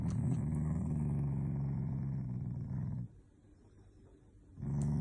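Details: Shiba Inu growling while being made to do tricks: a low, rumbling growl for about three seconds, a short quiet pause, then the growl resumes.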